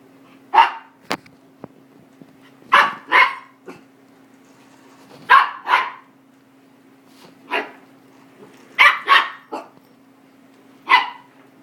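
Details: Miniature goldendoodle puppy, a five-month-old female that hates cleaning machines, barks at a vacuum: sharp barks, often in pairs, spaced irregularly over about twelve seconds, over a constant low hum indoors.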